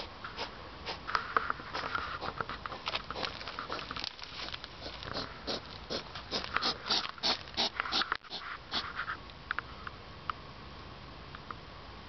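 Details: European hedgehog heard outdoors at 10 pm on 3 September 2009, so loud it carried into a room; rapid irregular snuffling and snorting puffs, many per second, with short wheezy bursts and no other clear sounds.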